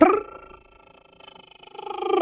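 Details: A squirrel chatters in the distance in timber: nasal, harmonic calls, loud at each end with quick, steady pulsing between. The chatter is suggested as a possible sign of an approaching deer.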